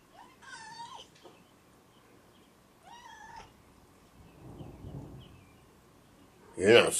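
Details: Indoor cat, one of the Taters gang, meowing during a thunderstorm: two drawn-out harmonic meows that rise then fall, about two seconds apart, followed by a soft low rumble and a sharp loud knock at the end.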